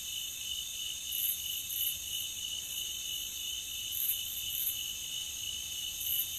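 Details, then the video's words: Nature ambience recording of crickets: a continuous shrill trilling at high pitch, in stacked layers, with a rapid even pulse throughout and a few brighter accents now and then. "Nature Cricket Sound"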